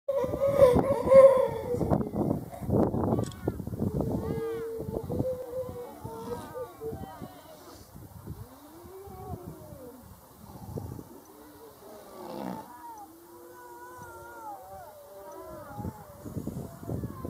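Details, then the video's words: Grey seals giving drawn-out, wailing moans, with arching, rising-and-falling tones that overlap one another and carry a mournful, almost human cry-like quality, above a low rumbling background. "grey seals"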